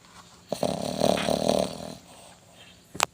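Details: Dog snoring while asleep: one long rough, rattling inhalation lasting over a second, then quiet, with a brief sharp click near the end.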